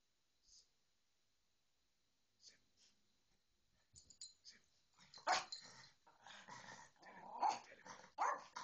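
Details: Dog barking in a home scene where a Bedlington Terrier ignores a little Yorkie; near-silence at first, then scattered short barks and yaps growing louder and denser over the last few seconds.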